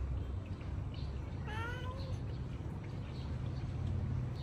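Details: A single short cat meow, slightly arched and nasal with rich harmonics and lasting about half a second, set against a constant low-pitched hum.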